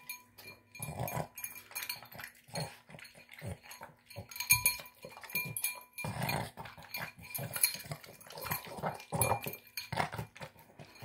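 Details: A Boston Terrier devouring tuna, egg and kibble, snorting and snarfing as it eats; steady run of rough nasal grunts and wet smacking, repeating roughly every half second with faint clicks.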